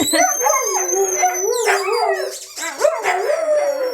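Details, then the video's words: Siberian Huskies kept as pets sing along to a squeaky toy: a steady, wavering howl held for several seconds, joined by higher yelping howls, with thin squeak tones above. "Their Squeaky Toy Make Them Howl Lately"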